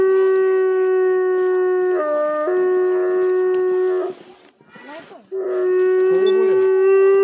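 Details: Chorus howling by three timber wolf siblings kept at a zoo in Asahikawa, Japan, on a winter afternoon with snow; long level howls with a second voice briefly stepping lower, a pause with faint rustling, then another steady drawn-out howl.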